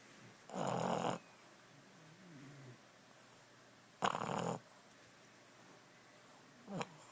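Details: Sleeping Boston Terrier snoring after a rough day: two loud, rasping snorts about three seconds apart, with a shorter snort near the end and a soft, wheezy breath between them.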